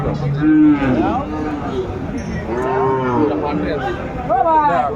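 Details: Sahiwal cattle at a busy cattle market in Kurigram, Bangladesh, 14 December 2024, where a farmer buys a bull calf. Drawn-out, wavering moos rise and fall over about five seconds, several calls overlapping.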